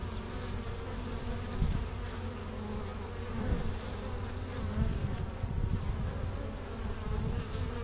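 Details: Many honey bees working the hive entrance in April, carrying in pollen and nectar; a continuous deep buzzing drone with small surges in loudness as individual bees fly near.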